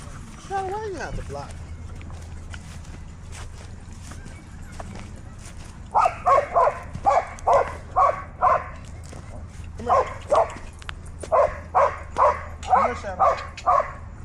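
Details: Dog at a dog park barking: after a quiet stretch with faint whines and low background hum, repeated sharp barks start midway, coming about twice a second in bursts separated by short pauses.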